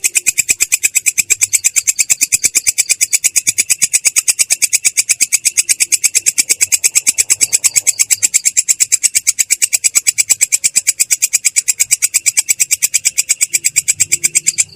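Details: Belalang kecek, a katydid, performing a long ngerol roll with a clear, rough tone. Bright, high buzzy pulses repeat about three times a second, evenly and continuously, for roughly fifteen seconds.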